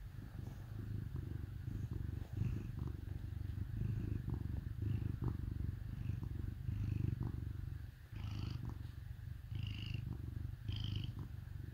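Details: Cat purring while snuggled with dogs on a cold winter day: a deep, steady rumbling purr, continuous and low, with faint higher squeaks and rustles now and then.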